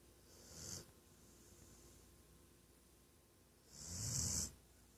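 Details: Napping female Weimaraner giving two loud snoring breaths about three seconds apart, each a short rasping rumble with a breathy hiss, quiet between them.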